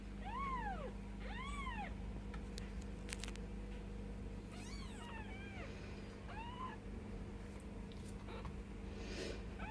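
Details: Bengal kittens, ten days old, squeak out high, arching mews, two clear ones early and a few fainter overlapping cries later, over a constant low background hum.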